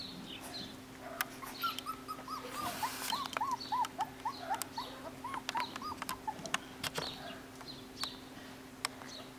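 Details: Nine-week-old Jackateese puppies, Jack Russell x Maltese, from a home-bred UK litter. They give a quick series of thin squeaking whimpers that falls slightly in pitch over a few seconds, amid clicks, rustling and a constant low hum.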